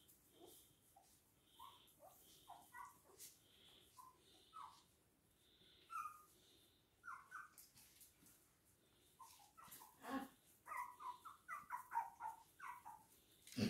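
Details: Toy and miniature poodles recorded at Hahnstätten on 19 February 2022 give a long run of brief, squeaky whimpers, sparse and thin at first, then growing denser and louder toward the end, with occasional clicks and a low hum.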